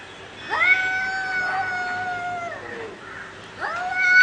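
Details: Cat in a fight giving a steady, long-held yowl of about two seconds that dips at the end, then a second yowl starting abruptly.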